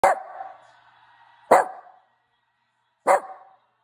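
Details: Maltese dog vocalizing in three short bursts about 1.5 seconds apart, each a sharp onset sliding into a nasal, whiny, talking-like tone that trails off; quiet background.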